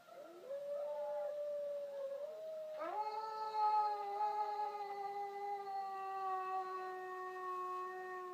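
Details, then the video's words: Howling around a female Border Collie tilting her head: a long, drawn-out, rich-toned howl with wavering pitch early on, then a stronger, steady, slightly falling wail lasting over five seconds. "Border Collie head tilt to howling"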